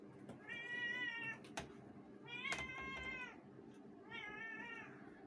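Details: Two domestic cats calling out meows indoors; three long, level, harmonic-rich wails roughly one to one and a half seconds each, separated by short gaps, with a sharp click between the first two and steady background noise.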